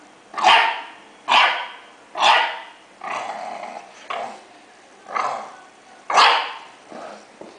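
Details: English Bulldog puppy barking steadily, about one loud harsh bark each second, some rough and growl-tinged, with a brief quieter yip near the end.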